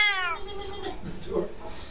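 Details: A male Siamese cat, possibly extremely loud and described as losing it, lets out a brief, loud, harsh, nasal meow that starts high and slides downward, followed by faint room sounds and voices.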